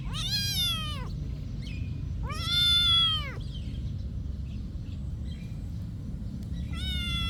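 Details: Monastery cat meowing three times, each call an arched, harmonic-rich whine of about a second, spaced roughly two seconds apart over a constant low hum.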